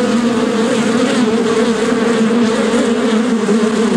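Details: Bees buzzing in a dense, continuous hum with steady low droning bands and overlapping wingbeat tones, no pauses, many insects sounding together.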